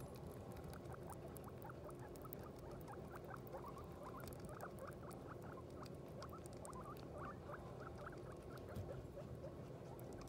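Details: Guinea pig that has just given birth to a New Year litter; faint, rapid high squeaks scattered throughout over a steady low background hum.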